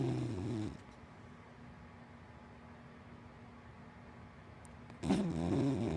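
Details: Deep, rattling snore from Hana, a big black dachshund–Labrador mix asleep indoors: the tail of one snore at the start, several seconds of hush, then the next rumbling snore.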